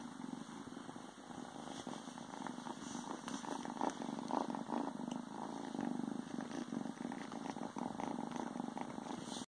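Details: Ragdoll kitten, a few days after arriving in its new home, hiding in a pair of pants and purring: a steady, rumbling purr that runs continuously, overlaid with soft rustling of fabric.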